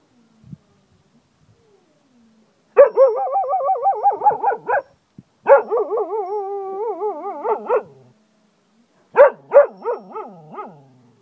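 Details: Cocker Spaniel in Ajloun, Jordan, howling like a wolf: long wavering tonal howls with rich harmonics, broken into two sustained phrases with a short gap, then ending in a run of sharp yelping notes.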